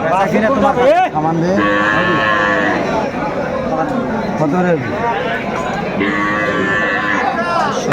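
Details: Cows with calves at Aftabganj cattle market, Dinajpur, Bangladesh, on 25 August 2024. Drawn-out, deep, harmonic moos overlap, one rising sharply near the start, with steady crowd murmur and market chatter behind.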